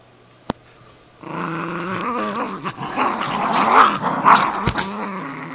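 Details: Cairn Terrier and Jack Russell Terrier, two pet dogs, fighting over an old golf glove: after a click and a second of quiet, continuous rough harmonic growling rises and swells, with snarling peaks near the end.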